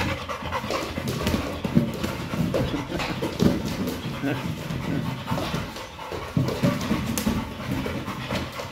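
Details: Kral, a pit bull, pants heavily while playing rough with a Pilates ball. Rapid, rough breathy bursts repeat with scuffling and thumps, and a person's voice speaks over part of it.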